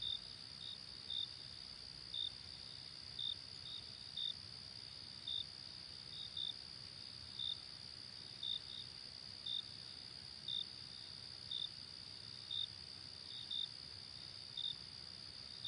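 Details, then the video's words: Night chorus of crickets, a constant shrill high drone joined by brief sharp chirps recurring about every second, occasionally in quick pairs, with faint low background rumble. "Crickets night ambience"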